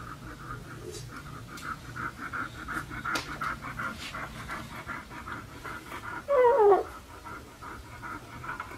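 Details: Red-coated Siberian Husky puppies pant in a quick, steady rhythm, with one short falling whine near the end.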